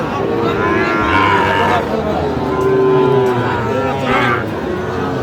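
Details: Sahiwal cattle at a busy Faridpur market, 17 August 2025, where a bull calf changes hands. A sustained, droning moo swells and holds for a couple of seconds, then tails off. Bargaining voices and background market noise continue around it.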